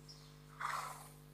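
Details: A horse walking calmly at a walk gives a single soft, breathy snort, air blown out through the nostrils, over a steady electrical hum; such snorts signal a calm, positive emotional state.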